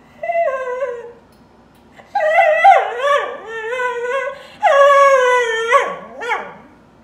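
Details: Dog crying in drawn-out, tonal whines and howl-like wails, some sliding down in pitch, coming in three main bursts with short yelps near the end.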